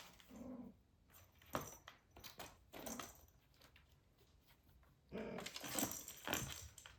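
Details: British Shorthair kittens, 43 days old, two golden boys, a blue boy named Azej and a golden girl, indoors during a photoshoot and playtime with crinkly paper, balls and tunnels; short low mews open the clip and return near five seconds amid rustling and thumps.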